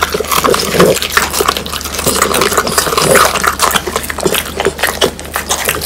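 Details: French Bulldogs eating dried whole quail, the bones giving a crisp sound. Wet smacking and licking blend with scattered crunchy snaps in a steady, close chewing texture.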